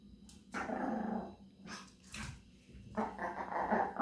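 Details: Japanese Chin dog singing: two drawn-out, growly, harmonic vocal phrases, each lasting about a second, with a fainter murmur between them in a quiet indoor room.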